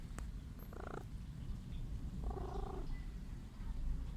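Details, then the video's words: Sick stray cat purring and wanting affection: continuous low rumbling purr, broken by two short nasal sounds near one and two and a half seconds. "Poor cat purrs sickly sneezes and wants me to love her"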